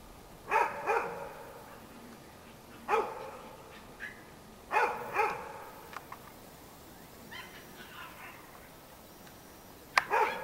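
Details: Several Cairn Terrier puppies at a kennel in Escaudes, France, giving sharp, bright yapping barks, often in quick pairs, roughly six bursts across ten seconds with quiet gaps between.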